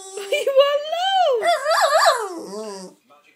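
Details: Pet Jack Russell terrier Pennie telling her owner off over coffee she wants: a sustained rising and falling whining howl with wobbling pitch, then a lower grumbly tail, speech nearby.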